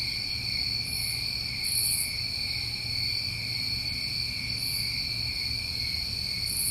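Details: Continuous shrill trilling from crickets on a New England summer night, layered steady tones without pause, with four brief higher buzzy pulses scattered through the stretch.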